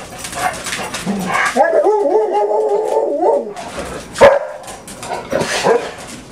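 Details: Pet dogs, six of them including Esther and Doxie, on a normal morning in the house; brisk barks open, then a quavering, warbling howl holds for nearly two seconds, followed by a sharp bark and scattered yips.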